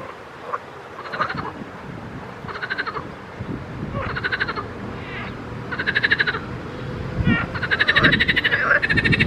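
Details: Frogs calling in a pond: short rattling, pulsed croaks in bursts about a second long. Several callers overlap and the chorus grows louder and denser toward the end, over a low background rumble.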